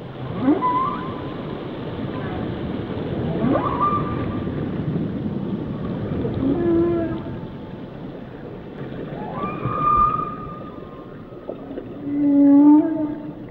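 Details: Varied whale song phrases: short rising whoops, higher whistled moans and wavering tones follow one another, closing with a steady low tonal note, all against a continuous watery rumble.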